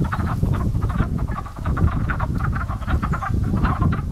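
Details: Pond frogs calling in early spring, a steady chorus of hoarse, crow-like croaks pulsing several times a second from many animals, over a deep rumbling background.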